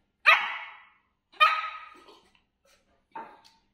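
A Shih Tzu puppy gives three high, sharp barks spaced over a few seconds.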